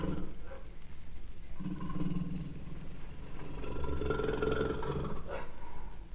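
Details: Jaguar making a deep, drawn-out growl that is almost entirely low rumble, rising into a stronger rough roar in the middle and fading at the close.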